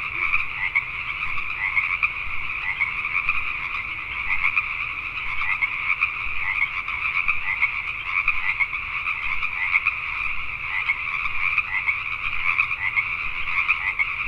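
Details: Night chorus of Pacific tree frogs in Richmond, British Columbia, Canada, a continuous wall of overlapping raspy croaks from many frogs, individual pulses blurring together throughout.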